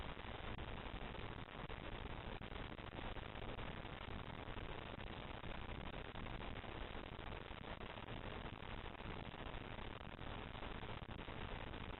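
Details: Steady static-like hiss fills the whole stretch with no voice or call, cut off sharply above the upper mid range.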